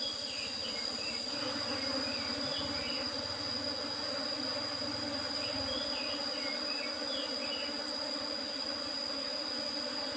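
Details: Honey harvest from an Apis cerana colony kept in an old-style box with a used asbestos lid; massed bees give a continuous buzzing drone, a steady shrill tone overhead, scattered faint chirps and some low rumbling.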